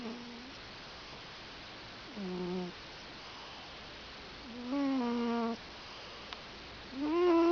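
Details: Gymble, a pet cat, snoring: four breathy, humming tones with a nasal whistle quality, each lasting under a second, recurring about every two and a half seconds in a quiet indoor room.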